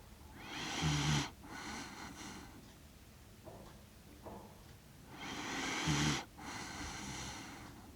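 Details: Sleeping Shiba Inu dog aged six years and one month, recorded in Rotterdam, Netherlands, on 30 September 2025 with a DJI Mic Mini: soft, breathy, hissing snores with a faint low rumble, two drawn-out breaths separated by several seconds of quiet.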